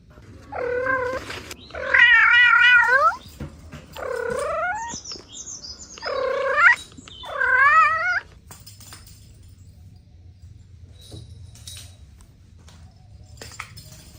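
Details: Kittens playing with their mother and two siblings; a series of five wavering, quavering meows over about eight seconds, some rising and falling within each call, followed by quiet shuffling.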